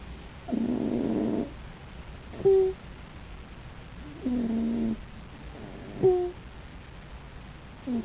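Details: Raccoon asleep and snoring, with rasping, buzzy breaths of about a second each. Between them come short, sharp squeaky whistles, and the cycle repeats every few seconds.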